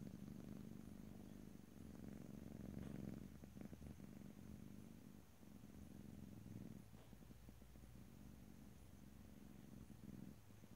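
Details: House cat purring close to the microphone, a deep continuous rumble that is loudest in the first three seconds then settles to a softer, even purr, with faint rustling.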